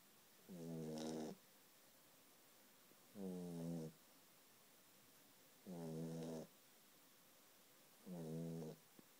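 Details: Ziggy, a sleeping puppy, snores in four steady, throaty, harmonic-rich breaths spaced about two and a half seconds apart, with quiet pauses between them in a calm indoor setting.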